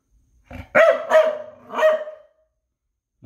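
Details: Noodles the dog gives a short run of three loud, tonal barks, the final one stretched into a longer, fading yelp, with silence around them and a faint sound at the very end.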